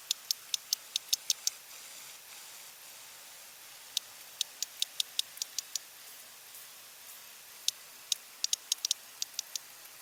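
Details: Two sperm whales exchange click codas: both first produce the same regular type, one switches to a 1+1+3 coda over the other, then both produce 1+1+3; they pause and click simultaneously, overlapping.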